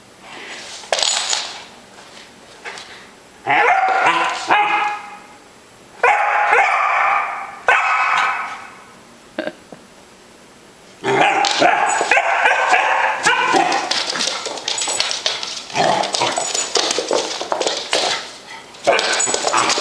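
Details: A Basset Hound puppy barks bravely in bursts of high, yappy barks with brief pauses, as if fighting a monster.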